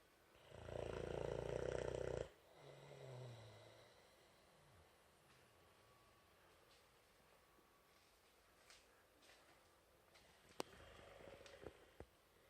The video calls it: AUDIO ON!!! Boxer Puppy Snoring Loudly 😁